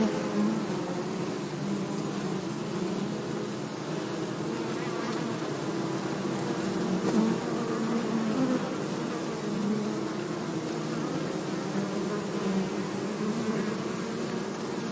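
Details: Honey bee colony taken from an anthill in a Hebri forest and put into a hive box; a thick, unbroken low buzz swells and fades gently over fifteen seconds, with faint brief rustles.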